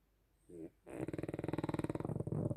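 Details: Snoring dog, heard as a short breath followed by a fast, rasping, pulsed rattle lasting under two seconds.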